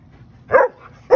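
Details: A Siberian Husky, told to sit, talks back with two short, throaty, yodel-like vocalizations.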